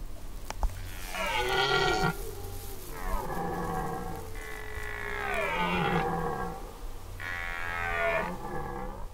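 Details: Red deer stags roar in deep, drawn-out, rasping bellows, repeated in bouts during the 2019 rut in the forest.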